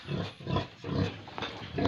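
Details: Pigs and piglets on a farm in Tripura make low, rough grunts in a few uneven bursts, with a rising grunt at the end.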